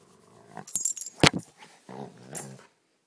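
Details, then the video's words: Pet dog rough-housing in play indoors: harmonic growling grumbles in the first half-second, then a sharp noisy burst and a longer rumbling growl near the end, with a person's voice nearby. "Rough-Housing With My Dog"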